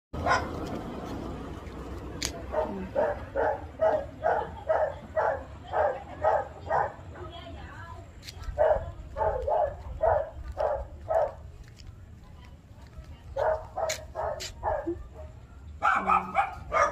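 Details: Chihuahua, a female, inside her carrier, giving rapid series of short yapping barks, roughly two per second in bursts with brief pauses, plus a faint voice at the start.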